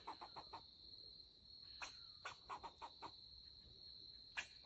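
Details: Rare melanistic black fox squirrel, angry at a person in its area and defending its territory, met while the person was tracking a deer. It gives short harsh chucks, first in a quick cluster, then spaced bursts, over a steady high insect-like whine.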